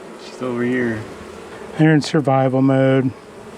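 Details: Honey bees from a long-established colony in the wall of a house, angry after dark on the first day of a rescue cutout; steady low droning buzz in two bursts, the second louder and longer with a brief sharp break.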